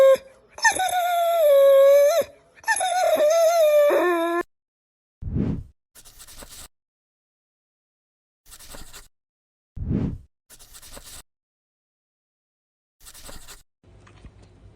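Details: Pit bull puppy giving a long, high, wavering whine that slides downward over about four seconds, then a few short low grunts separated by quiet gaps.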